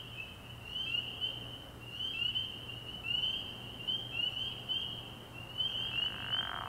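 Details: Spring peepers at a night frog pond early in the year, nearby males giving sharp upslurred peeps in quick clusters over a ringing background chorus, with a low hum beneath.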